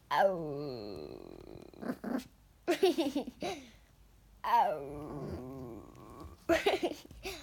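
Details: Yorkshire Terrier bitch kept as a family pet, 'talking' indoors with a child: wavering, growly, moaning vocal sounds that rise and fall in pitch, in several bursts with short pauses.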